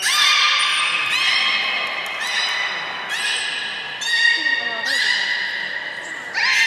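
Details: Beluga whale in Port of Nagoya Public Aquarium, 3 February 2019, during feeding and the play session after: a run of six or seven rich harmonic whistles with sudden onsets roughly every second, some bending upward, in a reverberant room.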